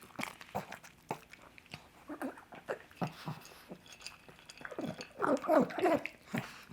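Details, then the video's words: Pug named Coco chomping sausage at breakfast, rapid wet smacks and chews about three per second, ending in a louder run of snuffling, grunting bites. "The Weird Sounds a Pug Makes While Eating."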